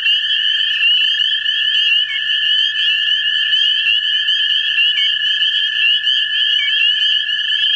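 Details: American toads seeking mates in a vernal pool in central Ohio. Steady, even trills hold at two pitches without a break, forming a thick continuous chorus with occasional short chirps on top.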